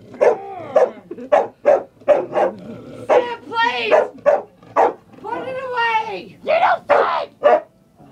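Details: Frightened female dog, jokingly called a vicious pitbull, barks at a chair indoors: short sharp yaps in quick uneven bursts, about a dozen in eight seconds, with a person talking and laughing between and over the barks.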